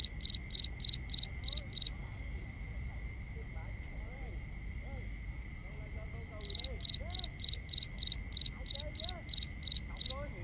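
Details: Night crickets recorded binaurally: rapid, regularly spaced high chirps in a run of six, a pause with only faint pulsing, then a longer steady run, all over a constant shrill insect drone.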